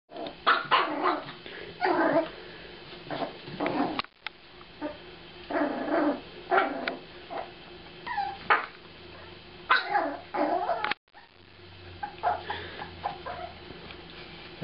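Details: Aspen, a 7-week-old female Jack Russell Terrier puppy, stalking her kibble dinner indoors; high puppy barks and yips mixed with small growls in irregular bursts, a woman's voice speaking in between.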